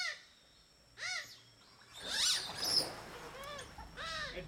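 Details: A playful group of smooth-coated otters eat fish for dinner in a river in Borneo, trading quick high squeaky chirps with arched harmonics. A noisy scuffling burst falls mid-way, and a steady high whine continues throughout.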